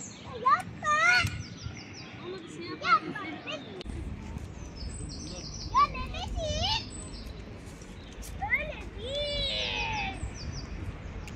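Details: Very hungry, talkative tailless street cat meowing repeatedly: several drawn-out, arching meows that rise then fall, some short and some long, in bursts over several seconds, with high rattling chirps in the background.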